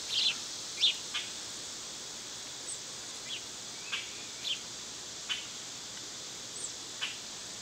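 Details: Steady high buzzing of cicadas in summer runs throughout, punctuated by faint, scattered bird chirps and ticks.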